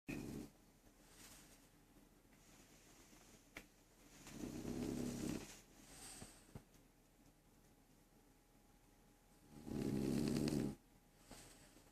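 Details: Sleeping French Bulldog snoring indoors: three rough, low, rasping breaths spaced roughly five seconds apart, with quiet breathing and a faint steady hum between them.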